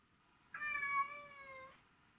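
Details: A pet cat, said to be missing its owner, gives one long drawn-out meow of about one second in a quiet room. It opens slightly higher, then holds a steady, even tone.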